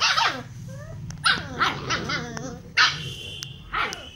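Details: Puppy aggression between a German shepherd puppy and a rottweiler puppy: short sharp barks and whimpering yelps mixed with low growling, bursts at about one-second intervals, with squeaky high tones and background noise.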